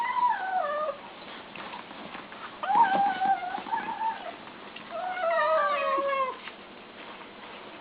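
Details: ['Kittens make noises while eating. Long, wavering meows are spread across the clip, several sliding downward at the end, with quiet gaps between them.']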